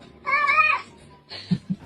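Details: Cat meowing: a clear, wavering, harmonic meow of about half a second, followed by a shorter, rougher second note and soft thumps.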